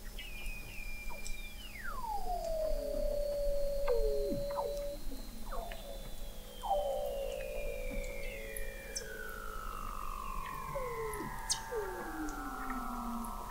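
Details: Weddell seal vocalizations from beneath the sea ice of McMurdo Sound, Antarctica, November 2017, recorded 21 m deep: long whistles sliding gradually downward, several voices overlapping, with shorter falling chirps repeating every second or two.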